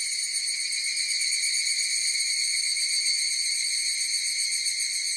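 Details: Higurashi cicadas in chorus: a steady, shimmering tone with stacked bright overtones, finely pulsing about four times a second and holding an even loudness throughout, with no other sounds.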